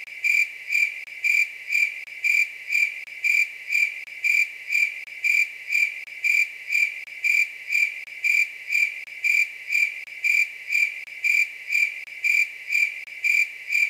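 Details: Grasshopper. A grasshopper sings through the night in short, buzzy bursts at one steady high pitch. The pulses come evenly, roughly two every second, with no other sounds competing.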